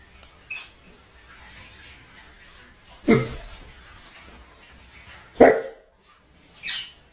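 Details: A Great Dane confronting a bird gives two loud, rough single barks about two seconds apart, with a softer, higher yelp near the end and quiet background between.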